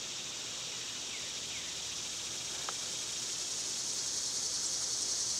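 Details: Cicadas in summer keep up an unbroken, buzzy high whine with a soft pulsing texture, while a couple of faint bird chirps and one brief click sound behind it.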